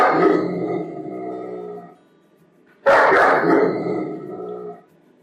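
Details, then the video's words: Angry German Shepherd dog giving two drawn-out, throaty barks with a growling, howl-like tone, each lasting about two seconds, separated by a brief silence. "som de cachorro pastor alemão bravo"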